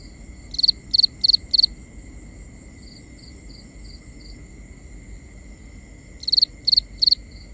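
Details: Cricket at night, binaural: four crisp high chirps, a stretch of softer distant chirping, then three more loud chirps, with a faint steady whine and low background hiss.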